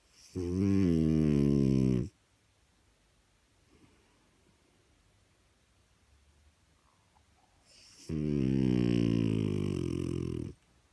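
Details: A French Bulldog gives long, loud, rumbling snores, each about two seconds, with quiet gaps between, while people try to watch TV.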